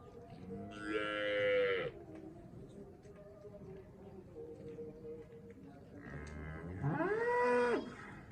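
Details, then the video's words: Two drawn-out moos from a Cholistani Friesian cross cow in Pakistan, about five seconds apart, each swelling upward and then sliding down at the end, with a low steady hum between the calls. "Cholistani Friesian cross cow"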